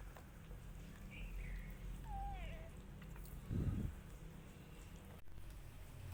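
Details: Rescue cat with kittens, eating together: a short, soft mew that slides downward, preceded by faint high chirps, then a dull thump and a click over a steady low background rumble.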